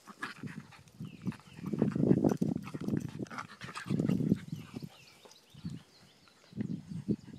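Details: Two Miniature Pinscher and Rat Terrier mix dogs, Daisy and Rose, playing fetch: heavy, rapid rhythmic panting in low breathy bursts, swelling into longer surges and then easing, with faint chirps in the background.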